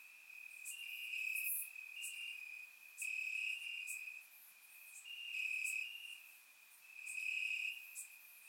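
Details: Bulgarian summer night with crickets calling from the grass: a continuous shrill trill that swells into louder stretches every couple of seconds, overlaid by brief sharp high ticks from additional insects.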